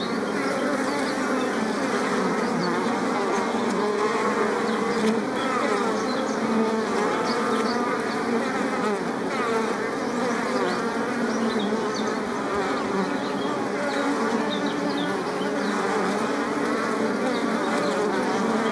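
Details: Many bees buzzing around flowers, a thick layered drone of low and mid tones that never breaks, with faint higher flickers over a constant swarm hum.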